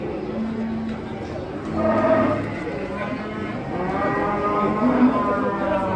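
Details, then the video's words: Masked cow, agitated while coming down off a truck, lets out low, drawn moos against a murky wash of crowd noise and people talking. "SAPI LUCU BERTOPENG NGAMUK PARAH TURUN DARI TRUK"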